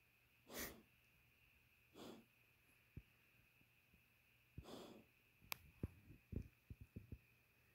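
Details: A female pet dog asleep and dreaming gives breathy huffs and snorts at about 0.6, 2 and 4.8 seconds, followed by a run of soft clicks and small snuffles near the end over a faint steady indoor hum.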